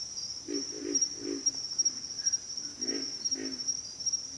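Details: Low, rough grunts from pig frogs in two short bursts, several grunts per burst, with a continuous shrill insect hum behind them.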